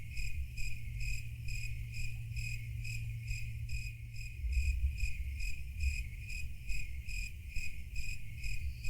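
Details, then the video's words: Cricket chirping at about 140 chirps per minute: short, shrill, pulsed notes in an even train, with a deep background rumble that swells slightly midway. "Real cricket chirping sound"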